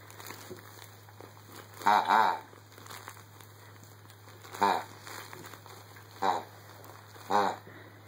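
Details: Pet Rottweiler playing in the early morning, letting out four short, harmonic, groaning whines with a wavering pitch. The first is the longest, near two seconds in, and the rest come at uneven gaps of one to two seconds over a steady low electrical hum.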